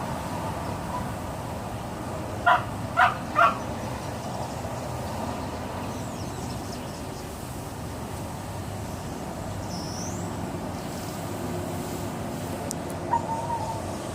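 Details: Female Boxer dog playing by herself, making weird noises that sound as if she were being attacked: three short, harsh yelping bursts about half a second apart, then quiet over a steady low engine-like rumble.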